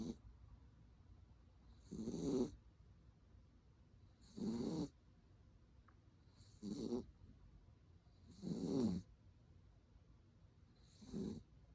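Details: Dachshund asleep and snoring after a walk, giving five short grating snores at irregular intervals of roughly two seconds, each a throaty buzz with a thin airy hiss, the room otherwise quiet.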